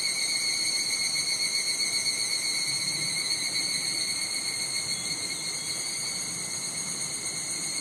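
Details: Higurashi cicadas singing on a Japanese summer day in Nishigo village, Fukushima: dense, continuous high-pitched ringing with several bright tonal layers, slightly fading toward the close, light wind in the background.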